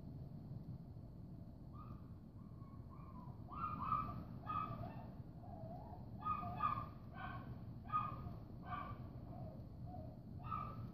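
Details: Dog crying and barking at 6:45 a.m. on Monday, 10 February 2015: a series of tonal, harmonic whines and yelps repeated about every half second to second, some rising then falling, over a steady low rumble of background noise.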